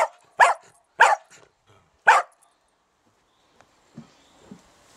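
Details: Dachshund at an allotment garden plot barking: three loud, sharp barks about a second apart, followed by quieter low grunting sounds and faint rustling near the end.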